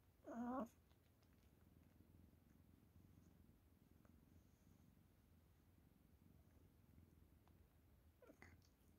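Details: Fifteen-year-old senior cat indoors, sticking close and showing affection beside someone exercising on a foam roller: one brief meow, then a soft, steady low purring rumble lasting about seven seconds, ending with a faint short chirp.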